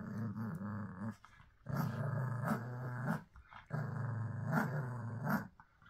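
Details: Pug growling indoors: three sustained, throaty, grumbling sounds, each one to two seconds long, separated by brief pauses, with a rich buzzy low tone.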